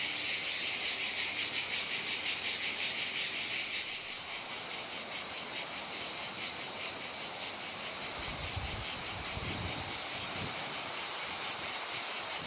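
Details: Many cicadas on a hot summer day in Provence, France, fill the air with a loud, shrill, pulsing buzz that never lets up.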